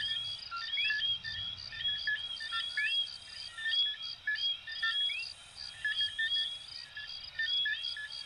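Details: Coquí frogs of Venezuela and Puerto Rico calling together: bright, brief whistles, some rising in a quick upward slide, tumble over one another in a busy chorus above a constant high buzz, with a soft low murmur underneath.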